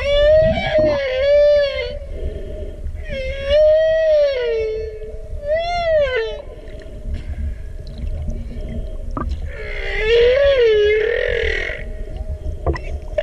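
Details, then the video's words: Humpback whale song: long tonal moans that rise and fall in pitch, with rich upper harmonics and upswept, wavering phrases repeated in units a few seconds apart, over a low rumbling underwater background. "Humpback Whale Song"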